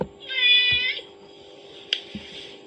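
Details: Domestic kitten hearing a mother cat's calling sound from a phone; one firm meow of under a second, followed by a couple of sharp clicks and soft knocks over a background hum.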